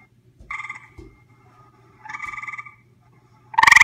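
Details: Gray treefrog visiting and recorded close up, giving two softer pulsed trills about a second and a half apart, each roughly half a second long, then a loud buzzy trill starting at the very end; faint low hum underneath.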